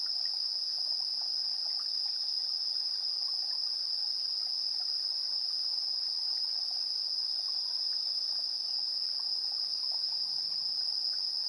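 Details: Chirping insects at dusk, 7:04 PM on 3 September 2022, TASCAM Portacapture X8 recording; one shrill sustained trill dominates without pause while quieter, irregular clicks and chirps flicker lower down.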